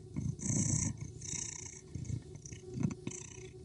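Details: Sleeping cat giving a low, rough rumbling purr in uneven pulses, with a soft breathy hiss rising on each inhale, roughly three swells across the stretch, close and quiet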